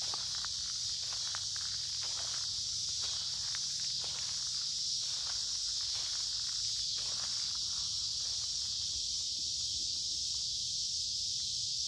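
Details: Cicada chorus during a summer creekside walk through woods on a humid warm day: an intense, even, sizzling high whine holds steady while frequent footsteps and rustling leaves sound beneath it.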